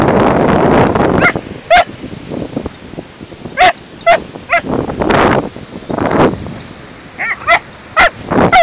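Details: A 14-week-old Doberman and a Border Terrier of about seven or eight years at play on a beach, giving short, shrill yips and barks scattered irregularly, some in quick pairs, over loud wind and breaking surf.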